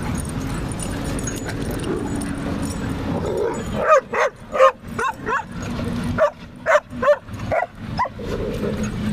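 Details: While wrestling at a St. Louis dog park, a German Shepherd puppy lets out a run of rapid, clipped barks and yelps in uneven clusters after a quiet start, with a low hum of background noise throughout.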